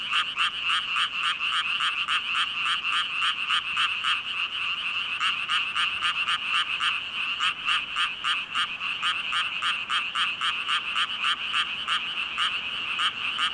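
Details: Massed frogs, thousands strong, croaking in a brisk regular pulse of about three and a half calls per second, each note a short bright rasp, the chorus unbroken and even.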